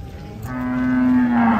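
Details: Large cattle, three big animals taken down from a truck, near a market, with one producing a loud, steady, low moo held for over a second that trails slightly downward at the end.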